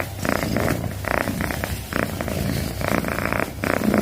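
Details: Close recording of a house cat purring, a deep rumbling vibration that swells and fades with each breath, roughly one breath cycle per second.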